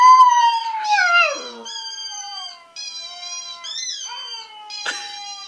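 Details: Puppy howling in long, sustained tonal notes with stacked harmonics, first sliding downward, then steadier drawn-out wails with wavering pitch and a short break between phrases; quiet background.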